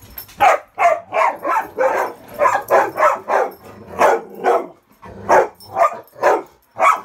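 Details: Three dogs, Ravyn, Kyla and Knight, playing king of the hill on a bed indoors, no meanness involved; rapid high-toned barks repeated about twice per second, a brief gap, then more barking.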